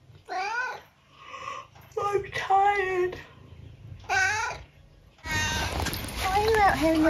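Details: Eric, a 12-year-old tabby cat from the UK, outside in the rain, gives a run of three or four drawn-out, wavering meows separated by short pauses, with a woman's voice talking to him in between.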